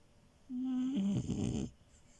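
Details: French Bulldog named Milo, a bed crasher, snoring while asleep indoors: one snore of just over a second, opening as a steady low hum that drops slightly in pitch, then breaking into a rough, rattling breath before quiet returns.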